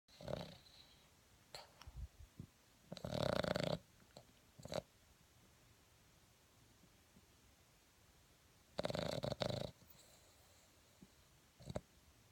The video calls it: Boston Terrier snoring - sleepy Frankie